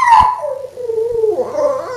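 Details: Female Boston Terrier pining for her absent Patrick, howling at the mention of his name: a sharp yelp, then a long wavering howl that slides down and rises again near the end, with a person calling "Patrick" close by.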